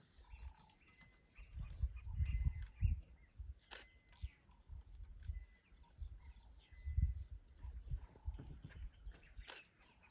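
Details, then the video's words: A male lion, one of a coalition of brothers, makes strange deep, rumbling grunts in short bursts rather than a roar, with faint birdsong and a steady insect hiss, on a warming morning in Zambia's Lower Zambezi National Park. "Have you heard a lion make this noise before?!"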